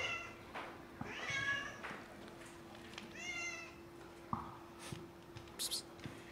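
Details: A sad cat giving two plaintive, wavering meows close together, each sliding up then down, followed by a short quieter mew and a few clicks, over a steady low hum.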